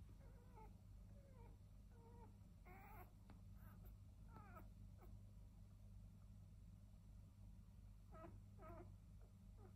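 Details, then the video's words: Seven five-day-old Border Collie pups: two black and white females, four black and white males and one grey and white male. Short high squeaks and whines come in scattered bursts over a steady low hum. "Border Collie pups five days old"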